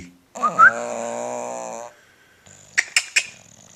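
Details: A sleeping 10-year-old bulldog gives one long, rasping snore of about a second and a half, with a whistly catch at its start. Brief tapping or clicking follows after a pause.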